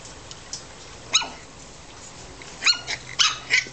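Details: Australian Terrier puppies, about seven weeks old, playing in a garden in July: a few short, high, sharp yaps with bright harmonics, scattered singly and in a quick pair, over a quiet background.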